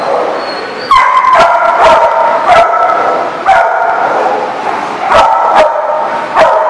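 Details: Several dogs barking, recorded December 22, 2018: sharp, loud barks burst out roughly every half second to second over a steady background of overlapping barking and yelping from other dogs.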